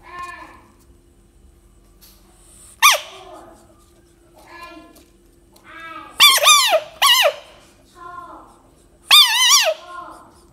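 A frog gives loud, high squeaks that rise and fall, in short bursts a few seconds apart.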